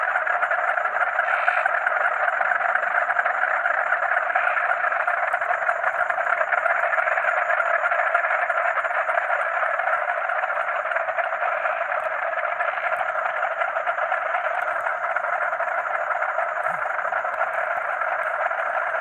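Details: Night-time frog chorus with crickets, a pleasant natural soundscape: countless frogs croak together in a continuous, even roar, while a faint high-pitched cricket buzz holds steady throughout.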